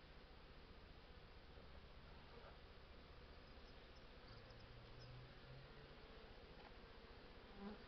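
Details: Honey bees at their hives during an artificial swarm: a steady, dense, low buzzing hum that fills the whole stretch, with a faint click near the end.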